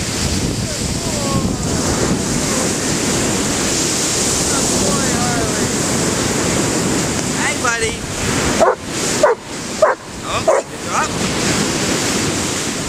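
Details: A dog named Harley at play in a game of fetch in the Pacific surf at Cordova Bay, Victoria, Canada, October 2011; rolling waves first, then a run of five or six quick, loud barks near the end.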